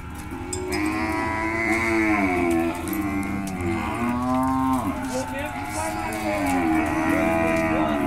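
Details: Lot of seven heifers at a livestock auction in Monte Aprazível, São Paulo state, Brazil, on 22 May 2021. Several long, droning harmonic moos overlap almost continuously. Some rise and fall in pitch over steady background noise.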